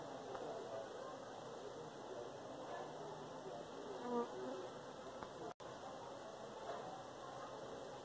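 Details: Honey bee in Pakistan giving a low, steady droning hum with faint harmonic bands that stays level throughout, swelling briefly near the middle, then a sudden short dropout.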